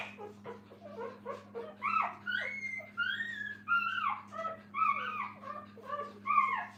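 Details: Puppies with their mother at a kennel, giving high, thin whimpering squeals that rise and fall, overlapping in a busy chorus of short cries roughly every half second, over a steady low electrical hum.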